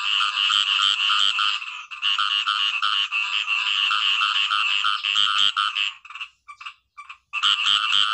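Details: Khiat i-mo frog producing a nearly continuous, buzzy, ringing croak with fast pulses for six seconds, then sputtering short notes and a final loud burst.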